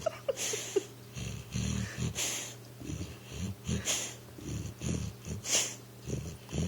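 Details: Pet pit bull asleep on a couch, dreaming and trying to run: rough, irregular snoring and snorting breaths with soft wheezes, some louder bursts, close by indoors.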